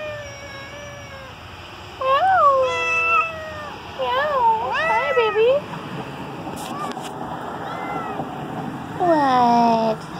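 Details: A domestic cat named Tiger, outdoors on 14 October 2017 with rain about to start, gives several rising-and-falling meows, asking to be let back indoors.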